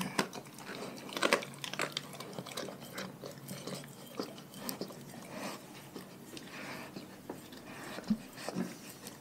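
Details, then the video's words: Dogs in a pack on a raw diet biting and chewing food indoors: clustered crunches early, then softer steady mastication with a few sharp bites near the end. "Epic ASMR Compilation Dogs Eating Raw Food"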